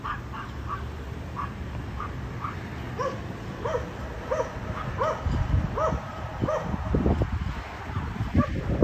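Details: Barking dogs at a condominium, disturbing the neighbours three times every day; a steady series of short, evenly spaced distant barks, roughly two per second, with louder thumps and rumble toward the end.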